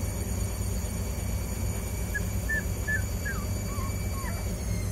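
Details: Rhodesian Ridgeback pups, 16 days old, learning to walk; a run of six or seven short, high, whining squeaks over the last three seconds, some rising and some falling, over a steady low hum.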